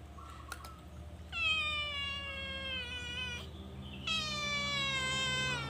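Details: Calico cat in a cage stealing food, giving two long, clear, steady meows, each over two seconds, the second louder, against a faint low hum.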